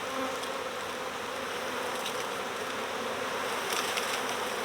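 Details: Honeybee swarm fanning and streaming into a box during recovery: an unbroken, even hum of many bees, with faint brief buzzes of individuals passing, no other sounds.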